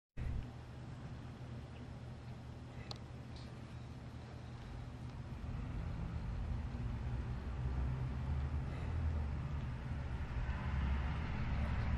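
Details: A steady low rumble like passing traffic or machinery grows slightly louder, with a few faint clicks and no animal sound.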